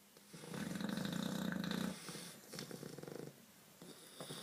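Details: English Bulldogs snore loudly in deep, rattling breaths, each a rapid buzzing flutter lasting over a second.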